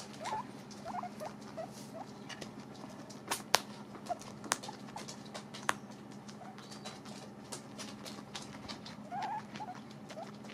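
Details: Pet guinea pigs eating dried apples: soft scattered crunching and nibbling, a few sharper clicks near the middle, and faint short squeaky chirps at the start and end over a steady low hum.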